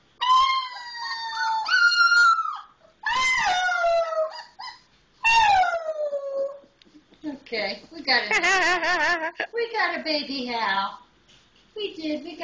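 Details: Wolf pup Misun's first howling, recorded with people nearby: three descending howls of a second or two each open the stretch, followed by a person's voice talking excitedly over the remaining seconds.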